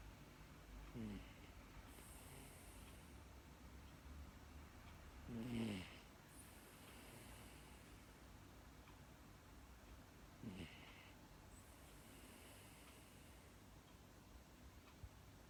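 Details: Pet Miniature Dachshund, female, snoring after falling asleep, in an uncut recording. Soft raspy snores come roughly every five seconds, one louder than the rest, against a low steady hum.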